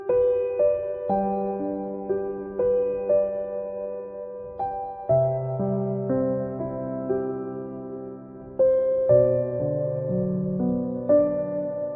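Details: Gentle, slow piano melody with soft sustained chords fills the whole stretch, and no animal voice can be picked out.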